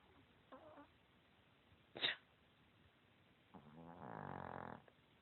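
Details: A sleeping Chihuahua, described as fat and lazy and recorded in 2016, gives a brief snort, then a sharp click. A sustained, buzzy, rattling snore about a second long follows, against low background hiss.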